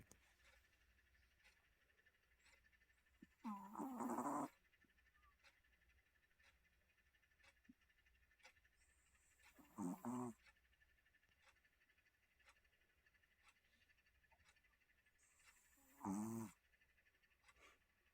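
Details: Sleeping Maltese dog snoring, three loud rasping snorts spaced about six seconds apart, each lasting roughly a second, with near silence and faint hum between them.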